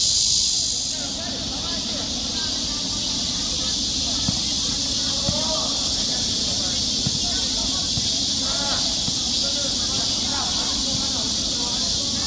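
A cicada sings a steady, high, hissing drone that never lets up.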